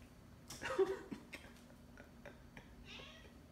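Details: Whiskers, a pet cat indoors trying to hunt a fly, gives one short, slightly rising meow lasting about half a second, followed by faint clicks and light rustling in a quiet small room.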